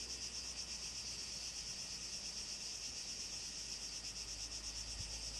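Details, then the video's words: Summer cicadas in southern Greece, 2014, forming an unbroken shrill buzzing wall of sound with a faint pulsing texture and light wind in the background. "Greece 2014, cicadas"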